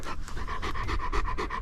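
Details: Dogs George and Polat, sheep-guarding dogs, back on the mountain after chasing a wolf and returning wounded; rapid rhythmic panting, about six breaths a second, steady throughout, with low wind rumble beneath.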